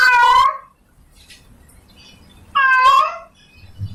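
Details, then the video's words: A female domestic cat in heat calls for a male with two strained, wavering meows about two and a half seconds apart, faint low background noise and a soft thump at the end. "Suara Kucing Betina Lagi Birahi Memanggil Jantan Minta Kawin"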